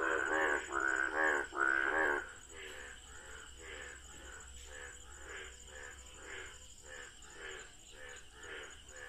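Frogs calling in chorus, a few loud croaks followed by a steady run of softer repeated croaks.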